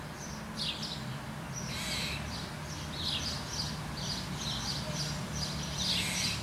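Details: Squirrel barking in quick succession: rough, noisy chuck notes repeated about twice a second, some louder than others, over a continuous low rumble.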